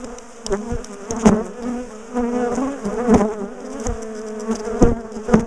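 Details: Big bee colony disturbed while its top bar hive is taken apart and moved; steady, loud swarm drone swelling and fading, with occasional sharp taps and bangs from the work.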